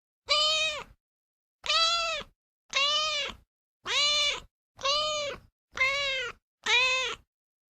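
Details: Loud, insistent meowing from a domestic cat: seven bright, harmonic-rich meows about once a second, each rising then falling, with silent gaps between.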